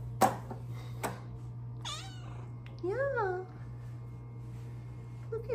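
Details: Female Bengal cat up in her favorite window, being petted, gives two short arched chirping meows, the second lower and rising-then-falling, among a couple of sharp clicks and a woman talking softly.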